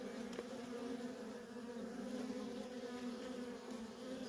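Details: Worker honey bees at a feral colony, nonstop traffic: a steady, dense droning hum with a low fundamental and a strong overtone band, unbroken throughout.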